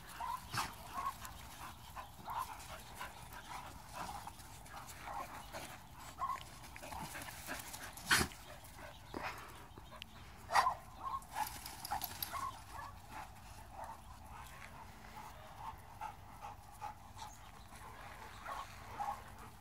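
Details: Several pit bulls and bullies at a kennel playing together, with a rescue pitbull/Chihuahua mix among them; scattered short barks and yips amid scuffling and panting, sharper barks near eight and ten seconds, with faint human voices.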